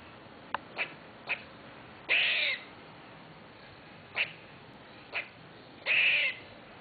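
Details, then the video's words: A squirrel living in a tree outside a window, described as crazy, gives harsh raspy bursts around two to three kilohertz, with short sharp clicks and chips between two longer rasping calls. "Crazy Squirrel"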